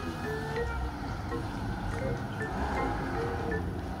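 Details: Music with a vehicle and some speech in the background, and no animal sound.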